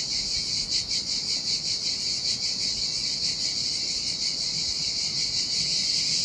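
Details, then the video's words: Sardinian seaside cicadas singing in hot weather on an empty beach: intense high buzzing with uneven pulsing, stronger early then smoothing into a steady drone, waves faintly rumbling underneath. "Ocean Waves & Cicada Sounds"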